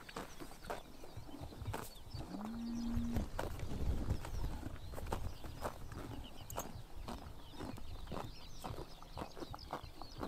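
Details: Summer morning in Mongolia, horses cropping grass: repeated crunchy ripping snaps at an uneven pace, with one short low droning animal call that rises then holds steady for about a second midway.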